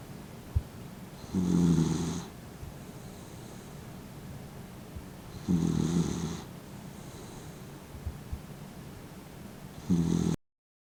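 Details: Mint, a 15-year-old Dachshund who has lost his sight, snores while asleep with half-open eyes; steady low rasping snores repeat roughly every four seconds, with soft breaths between them in a quiet room.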